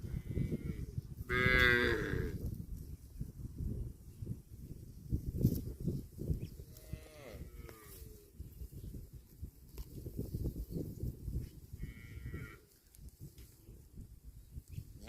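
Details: Cattle eating grass give a loud, drawn-out harmonic moo near the start, then fainter lowing calls around the middle and near the end, over steady munching and rustling.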